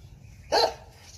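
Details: Jindo dog barking while facing a viper: one loud, short, rough bark stands out against a quiet background, with the start of another bark just at the end.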